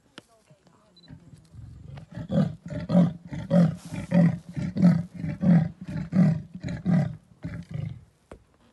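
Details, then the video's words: Leopard in the Sabi Sands, South Africa, at a guest farm, gives a deep, rasping series of grunts, like a saw drawn back and forth through wood. "Leopard Sounds in South Africa - Thulile Guest Farm"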